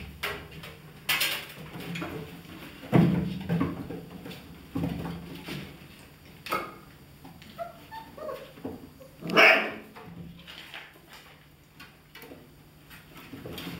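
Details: German Shepherd puppies of the A litter 'von der Edermündung', 31 days old: scattered short yips and whimpers, with a louder sharp yelp near the end, over indoor rustling and knocks.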